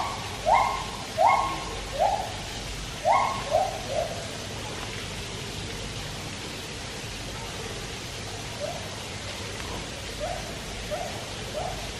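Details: Captive white-handed gibbons at Taipei Zoo sing while a Malayan tapir swims nearby: a run of rising, hooting notes in quick pairs and triplets, then softer, more spaced rising hoots, all over constant splashing hiss.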